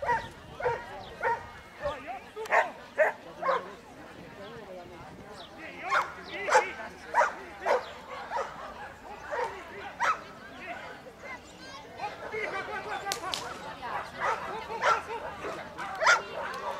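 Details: During a 2013 agility run, a Giant Schnauzer with its 63-year-old handler gives repeated barks, roughly one to two per second, in uneven bursts, while a person speaks in the background.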